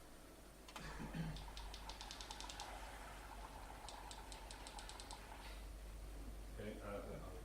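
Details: Sperm whale coda off the Brazilian coast, a distinctive, still-unnamed type: a series of sharp clicks, evenly spaced at first, then quickening irregularly toward the end.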